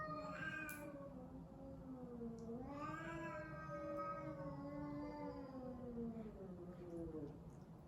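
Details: During a cat fight, a brief cry opens, then a long, wavering, moaning caterwaul stretches over four seconds, pitch dipping and swelling slowly, above faint background hum.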